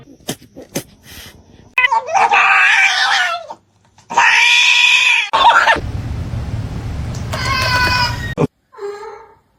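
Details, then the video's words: Pet cat indoors giving several loud drawn-out meows, harsh and wailing, separated by short pauses, with a woman talking between calls and a burst of noise. "cats meowing"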